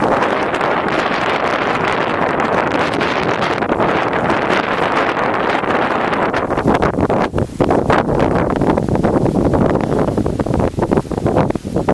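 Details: Strong wind buffets the microphone throughout, with rustling gusts and no animal voice.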